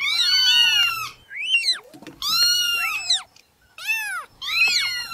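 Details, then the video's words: Several tiny newborn kittens crying out in shrill, arched meows, bursts of overlapping calls separated by short silences, roughly one burst every second or two. "Meowing Sound Compilation 2023 | Listen Cute Newborn Kittens"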